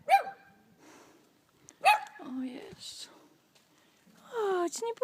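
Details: Abandoned, thin puppies give two short high yelps, each sliding down in pitch, while a woman talks soothingly to them between the calls.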